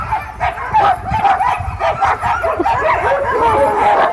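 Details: Sled dogs at Caribou Crossing, Yukon Territory, just before a sled takes off: many overlapping excited barks and yips in a dense, continuous chorus, with some higher whining notes.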